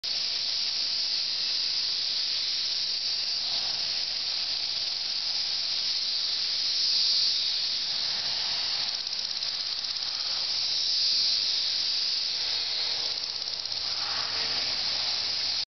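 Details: Thirteen-year periodical cicadas of Brood XIX in a tree in Missouri; a dense, unbroken high hissing drone with slow swells in loudness, many insects calling together.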